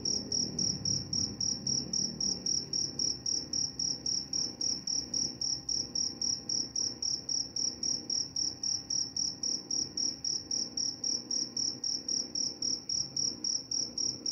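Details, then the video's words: Continuous cricket chirping, bright and high, in a brisk regular beat of several chirps per second across the whole stretch, a faint low rumble underneath; meant for falling asleep and repelling mice. "Suara jangkrik pengantar tidur dan juga mengusir tikus."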